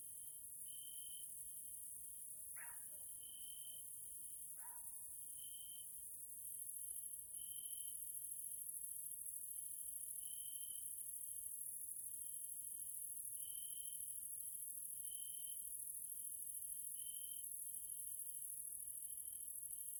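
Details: Grasshoppers calling in the evening in a nature area in Hungary, Central Europe: a steady, very high hissing buzz throughout, a thinner tonal chirp pulsing roughly every second or two, and two brief descending whistle-like notes early on.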